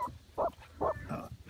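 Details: A 15-week-old female Patterdale Terrier pup named Little Bit, deep inside a hole in the woods, barks while out of sight. Three short, muffled barks come in quick succession, each dull and smothered by the earth around her.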